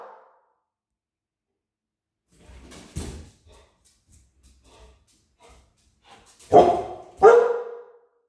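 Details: A female American Akita, frightened of balloons during play time, gives two deep, loud barks in quick succession after some quiet rustling.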